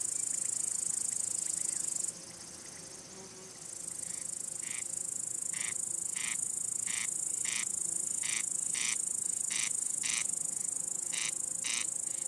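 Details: Crickets, males rubbing their wings to call females, court or warn rival males; after a quiet start, crisp chirps repeat roughly every half second against a constant shrill background buzz of other insects.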